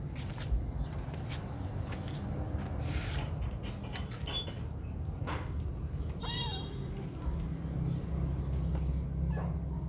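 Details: Gray baby kittens eating together. A single short mew rises and falls near the six-second mark over a steady low hum and scattered clicking and shuffling noises.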